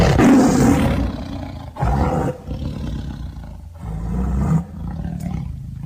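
A tiger gives deep, rumbling roars in several heavy bursts, each swelling and then fading away.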